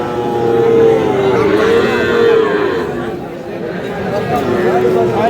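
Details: Sahiwal bull calves at the Aftabganj cattle market, which meets on Saturdays and Tuesdays, dated 5/5/26. A calf gives drawn-out, mid-pitched nasal moos, one wavering and rising, over crowd chatter and men talking.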